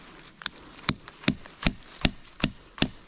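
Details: Sharp, regular knocks like chopping or hammering on wood, about seven strikes in three seconds, over a quiet background hiss.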